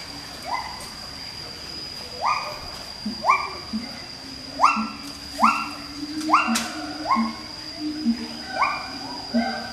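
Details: A captive siamang pair (Symphalangus syndactylus) duets with loud, rising hoots roughly every second over low booming notes, at Schmutzer Primate Center, Jakarta, Indonesia, on 20 April 2012 at 09:21 AM.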